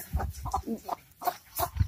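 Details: Three Jack Russell Terriers confronting a snake give a quick run of short, harsh barks, about five bursts in under two seconds, each with a low thump and a brighter upper edge, spaced unevenly.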